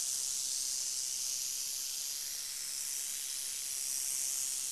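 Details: Crotalus oreganus hissing steadily, a bright, airy and continuous high-pitched sound with no gaps and nothing else clearly heard.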